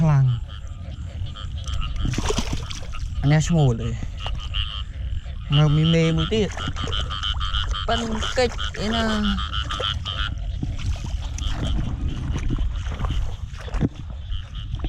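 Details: Large frogs calling at night during heavy rain while being hunted by torchlight. Several deep, gliding croaks with rich harmonics come in short bursts over a steady high insect-like chorus, with splashing and occasional human voices and music.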